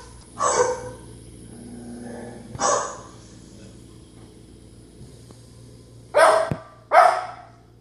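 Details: Izzy, a pet dog, barking at dogs on a TV screen indoors: four sharp, loud barks, two spaced a couple of seconds apart near the start and a quick pair near the end, with quiet room hum between.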